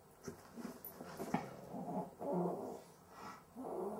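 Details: Cavalier King Charles Spaniel with difficulty breathing during sleep: ragged, congested snorts and rasping breaths follow one another unevenly, several catching sharply, in a quiet indoor room.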